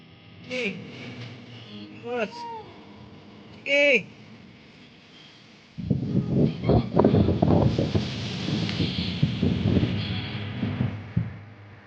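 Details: Newborn goat kid giving three short, high, wavering bleats, each arching up then down in pitch, spaced roughly one and a half seconds apart, followed by several seconds of people talking over background music.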